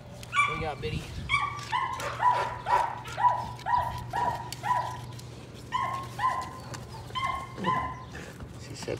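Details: Patterdale Terrier puppies working rats in their puppy pen one evening. A litter includes Cricket, a small black female a couple of weeks younger. High, shrill yaps come in quick runs, roughly two per second, with short pauses between bursts.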